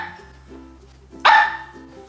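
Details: Upset Alaskan Klee Kai, a pet mini husky angered by its owner napping in its bed, gives one sharp, short bark after a quiet stretch, with soft music underneath.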